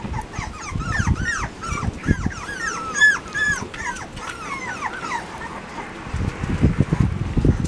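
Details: Labrador Retriever puppies in an outdoor run, watched over by father Max and mother Whitney, recorded 10 September 2015: a busy stream of high, arching whimpers and squeaky yips overlapping one another, with low rustling and thumps beneath.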